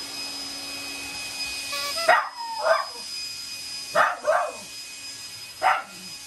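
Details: Shiba Inu giving short, sharp barks at a vacuum cleaner, an affectionate display rather than anger, in a few paired bursts over a steady machine hum.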